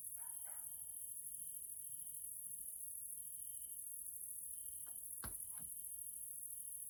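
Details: Grasshoppers (Caelifera) in the evening in a nature area of Hungary, Central Europe: an unbroken high, shrill hiss runs throughout, with a lower buzzing trill in stretches of about a second, plus brief chirps at the start and sharp clicks near the end.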